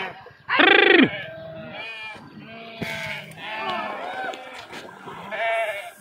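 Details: Sheep jumping into and swimming across a river, one loud drawn-out harmonic bleat lasting about half a second, followed by softer overlapping bleats and murmuring voices from the flock.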